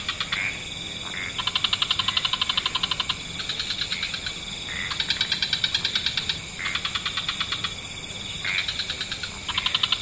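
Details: Frogs calling at dusk in wetlands, where several frog species are stated to chorus together: bursts of fast, pulsed trills lasting one to two seconds, separated by short gaps, over a steady high hiss.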